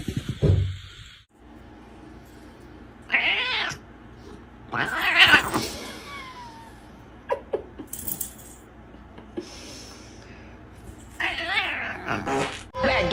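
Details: Domestic cat giving several drawn-out, wavering meows and yowls that slide downward in pitch, in separate bursts with quiet gaps between them, followed by a brief low thump; faint room background.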